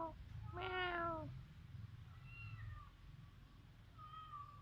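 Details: Domestic cat in a Cambodian village, filmed on a mobile phone, gives a loud, drawn-out meow falling slightly in pitch near the start, followed by softer, thinner mews later on; low rumbling background noise throughout.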